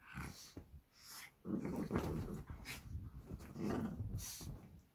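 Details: Two Shih Tzu brothers playing together at home on 12 April 2023, a Wednesday: low, rough growls come in irregular rumbling bursts, with a louder stretch through the middle and scuffling noises between them.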